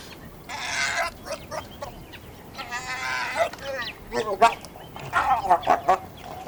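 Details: Hyena clan feeding on carrion in Kenya's Masai Mara National Reserve, uttering a series of nasal, harmonic cries, several sustained, then quick choppy giggling notes toward the end.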